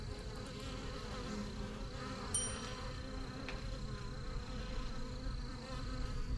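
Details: Honey bees swarm around the entrance of a strong yellow hive in a backyard, a thick, unbroken low hum with fluttering overtones, broken briefly by a short high whistle-like note about midway.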